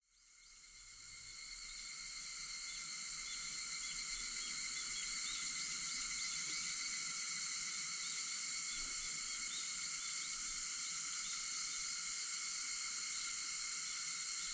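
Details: Cicadas at 4:50 in the morning on August 4, fading in to a steady, dense, shrill drone with several stacked high bands that hold without pause, no other clear sounds.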